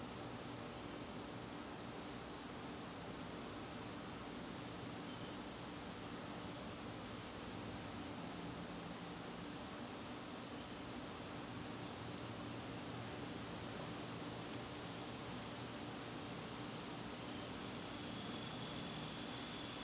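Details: A garden on a September evening with crickets: an unbroken high-pitched ringing and a rhythmically pulsing trill below it, plus a faint click near the middle and a quiet low background rumble.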